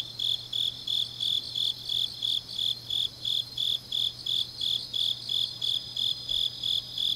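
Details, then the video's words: High, evenly spaced chirps of grass insects on a deep autumn night in Changnyeong, Korea, about three each second, backed by a continuous shimmering insect chorus and a quiet low hum. "깊은밤 가을 풀벌레 소리"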